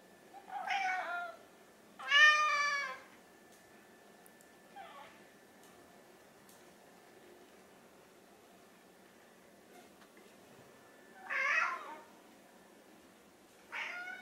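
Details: Hungry pet cats, orange tabby Chai and mackerel tabby Sushi, pleading for their meal before feeding time indoors; several loud, wavering meows of varying length, one long and strained near two seconds, others shorter and spaced by quiet gaps.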